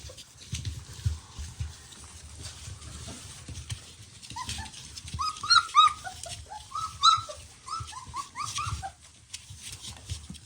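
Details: Three-week-old puppies after feeding, scattered short squeaks and little yips in loose clusters, some bright and piercing, over a low rumbling background noise.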